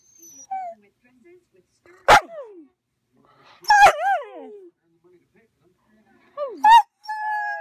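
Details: Female Siberian Husky Sequoia, in her first year, lets out three sharp barks a second or two apart, each trailing into a falling whine, with brief soft whimpers between them and a near-silent background.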